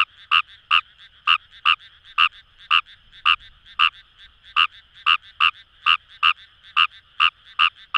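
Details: Paddy-field chorus of Kawamura's rice frog, Kamo River, Itoshima, Fukuoka Prefecture, Japan: bright, short raspy notes repeated at uneven intervals of about half a second, some closely paired, over a quiet background chorus.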